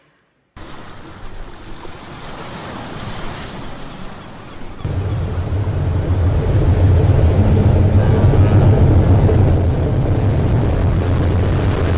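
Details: Surf and wind noise growing louder, with a steady low rumble like a boat engine and no animal voice.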